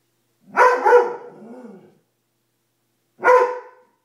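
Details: Dobermann afraid of a coat it takes for a monster: two sharp barks about three seconds apart, the first doubled and trailing into a low grumble, with silence between.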